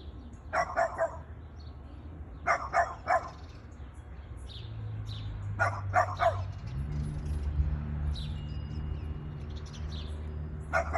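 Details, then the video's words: Boston Terrier barking at a plastic bag, giving quick clusters of three sharp barks at irregular gaps, with a low steady engine-like hum starting about midway. "Boston terrier barking to plastic bag"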